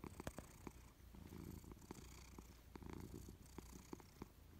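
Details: Dozing Persian cat Louis on a heated sofa gives a low rumbling purr, broken by several quick clicking taps and rustles near the start and scattered throughout, the purr continuing softly underneath.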